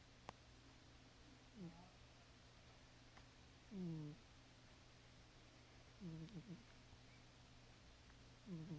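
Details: Caramel, a male pet cat, snoring loudly while asleep: four low, rasping snores with a falling tone, each about two seconds apart, over a steady background static hum.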